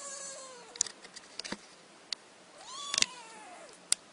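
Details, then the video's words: Freshly awakened kitten mewing twice, a falling cry at the start then a higher arched mew midway, amid scattered clicks and taps indoors. "Anak Kucing Baru Bangun Tidur"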